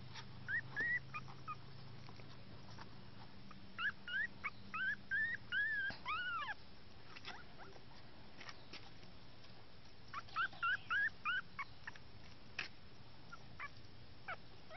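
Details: Male Chihuahua puppy of the mini toy size, born 12 July, giving high thin whimpers and squeaky yips in short bursts of rising and falling cries, with quiet gaps between the bursts.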